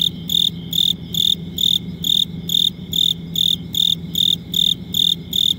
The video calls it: Cricket Chirping